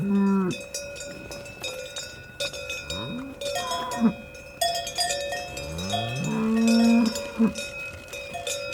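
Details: Cattle lowing amid steady clanking cowbells: several deep, drawn-out moos with rich harmonics, some rising then falling, spaced a second or two apart, over a constant metallic bell ring.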